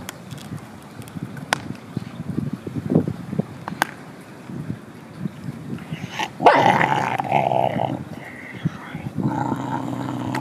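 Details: A mother dog chewing bones growls in low, rough rumbles that swell into a louder, harsher snarl, threatening an approaching dog to keep it away from her food; the sound drives the other dog away.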